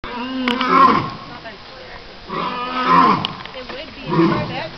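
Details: Alpha male lion at Calgary Zoo roaring at the crowd: three drawn-out, rough, moaning roars, each swelling and fading, spaced about one and a half to two seconds apart.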